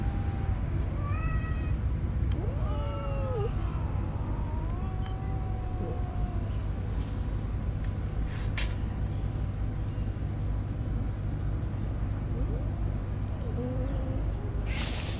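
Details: Stray newborn kittens born in a homeless person's bed, mewing in short wavering cries and a few longer rising meows through the first half, then quieter calls later, over steady low traffic rumble with occasional clicks.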